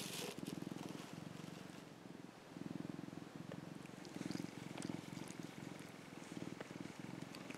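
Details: Affectionate young male orange tabby house cat, a rescued pet, purring while sunbathing; a steady low rumbling pulse runs the whole time in breathing phases that swell and fade, with faint rustles and no other animals.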